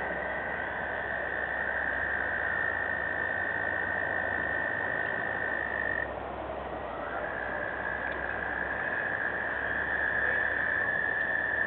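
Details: Springtime frog chorus: a constant shrill trilling band rides above a thick wash of overlapping croaks, briefly dipping and then resuming at a steady level to the end.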